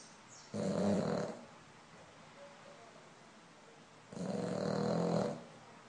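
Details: Sleeping French Bulldog snoring: two long, rough, rasping breaths about three and a half seconds apart, each under a second long, with quiet room sound between.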